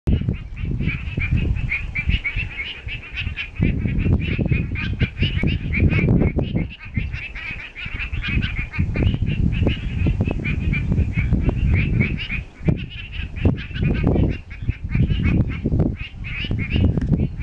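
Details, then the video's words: A steady chorus of frogs in Eaton, Western Australia, in rapid, pulsing calls, half buried under heavy gusting wind. "Frog sounds accompanied by noisy wind."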